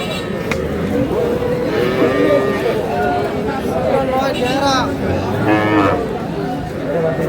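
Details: Cows with calves at a livestock market, Aftabganj haat, Dinajpur, Bangladesh, 21 February 2026: several drawn-out low moos rise and fall over a busy background of crowd chatter and voices.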